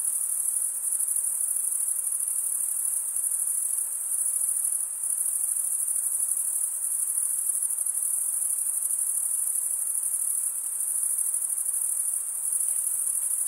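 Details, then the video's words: Steady high shrill trilling from a chorus of crickets, the males producing it by stridulation with wing teeth, pulsing on without pause for the whole stretch over a soft background hiss. "Most relaxing cricket sound"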